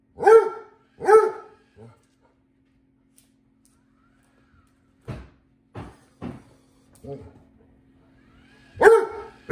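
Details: Vincent the Basset Hound barks twice at the new robot vacuum, then quiet; later short knocks and rustles, and a final loud bark at the end, inside a house.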